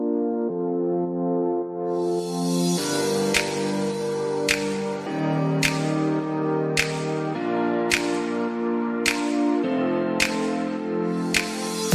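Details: Calm ambient synthesizer chords with soft regular percussive hits play throughout, with no animal sound present.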